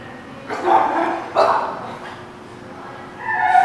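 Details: A dog gives two gruff barks in quick succession, recorded 9/11/17, followed after a pause by a brief higher, more tonal sound, against a steady background hum.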